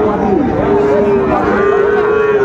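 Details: A single sustained moo from cattle at a Dinajpur cattle market in Bangladesh, where Sahiwal calves are being haggled over. The tone is long and steady, dips briefly near the start, then holds level over background crowd murmur.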